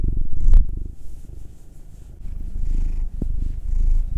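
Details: Domestic cats, Will a nine-year-old black male and Anzu a two-year-old female tortoiseshell-coloured Munchkin, purring while being massaged indoors; a deep, rumbling purr swelling and fading in loudness, with a brief click near the start.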